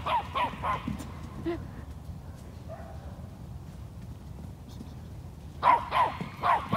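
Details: Eight-month-old toy Australian Shepherd yapping while herding a large Peruvian horse; a few quick high barks at the start, a quiet stretch, then another burst of three sharp yaps near the end.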